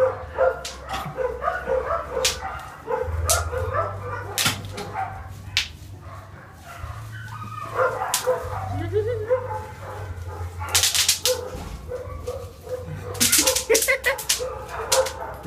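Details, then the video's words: German Spitz Mittel dog with its first apple, giving short sharp yips and thin whimpering whines in scattered bursts, with a person's voice talking intermittently in the background. "First Apple (German Spitz Mittel)"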